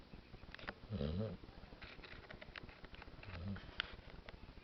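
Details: Daisy, a pet dog, snores in her sleep: two low, rough rumbling snorts about two and a half seconds apart, the first louder and longer, against a quiet indoor background.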